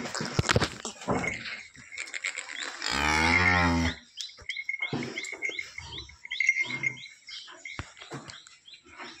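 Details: A Holstein Friesian cow, freshly calved overnight in her second calving, near Sinnar in Nashik district, lets out a single rich, steady moo lasting about a second, framed by knocks, rustling and a thin high whine.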